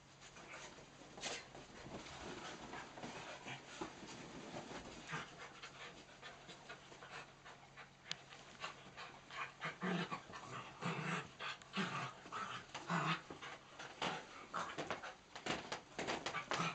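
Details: Four dogs at play on a miniature dachshund's third birthday: dachshunds Nellie and Mrs Moo with cocker spaniels Rosie (brown) and Lucy (blue roan). Rapid panting with busy scuffling and clicking bursts throughout, growing denser and louder in the second half.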